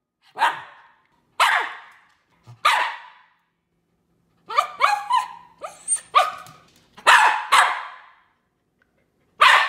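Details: Poodle dog barking: spaced single barks at first, then a quick cluster of short yappy barks and yips, followed by louder barks again, all high and sharp.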